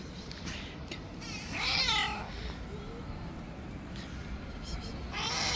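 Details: Wild white street cat, angry and untamed, uttering two drawn-out wavering meows, the second near the end, with a low continuous rumble and some voices in the background.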